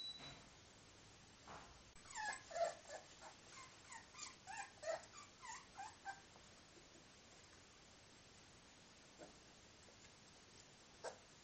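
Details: 24-day-old Miniature Bull Terrier puppies give a quick run of thin, high, squeaky whimpers and yips.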